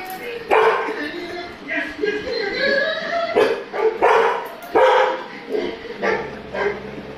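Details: A pet Labrador Retriever barks at an image on a television; quick repeated barks and yips come in clusters, some rising in pitch, over several seconds.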